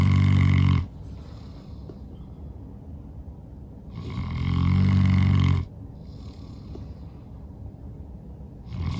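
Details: Sleeping St. Bernard Norman, tired from playing outside all day, gives loud, low, throaty snores spaced about four seconds apart, with soft airy exhales between them.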